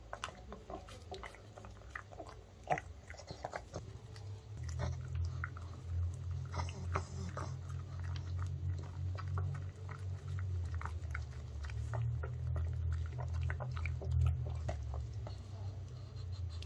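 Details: Pug, a male born in 2015, chewing oven-baked chicken made from chicken breast, broccoli and rice flour, in a small room: steady rapid mastication with a heavy low rumbling snuffle from midway on, and soft wet clicks.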